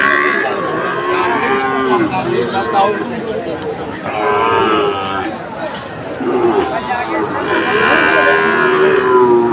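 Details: Sahiwal bull calves at a cattle market in Cumilla, Bangladesh, on 17 August 2024; several long harmonic moos rise and fall amid steady crowd chatter and background music.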